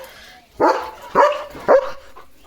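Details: German Shepherd named Leo barking in his courtyard on a rainy day with a rainbow overhead: three loud, punchy barks about half a second apart, each with a short tonal tail, then a faint fourth yip.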